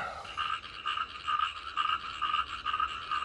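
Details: At night near 11–12 pm in Chengdu, toads (or frogs, unsure which) call in a dense chorus around a parked RV, short nasal croaks pulsing about twice a second, keeping people awake every night.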